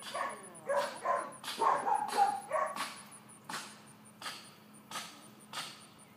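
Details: Georgia, a four-month-old miniature dachshund, lets out a tumbling flurry of overlapping yappy barks for about two seconds, then only sharp clicks and knocks follow against a faint repeating high tone.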